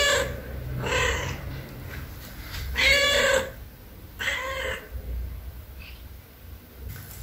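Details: A stray tuxedo cat visiting a house for food meows several times, each call a harmonic, mid-pitched cry with a falling tail, spaced about a second apart, with low background rumble.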